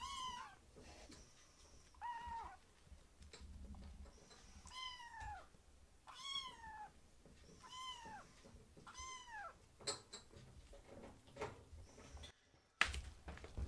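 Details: Two rescued foster kittens, Ashiro and Akuro, beg for food at a man's feet as a meal is prepared; a soft chorus of high, arching meows recurs every second or so, with faint household clatter and a sharp knock near the end.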